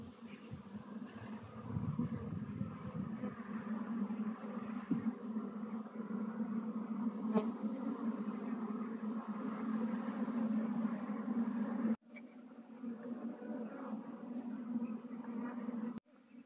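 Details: Low, strong hum of honey bees during transfer from a log hive to a modern hive in Nepal. Steady droning continues with abrupt brief gaps and some rustling from handling.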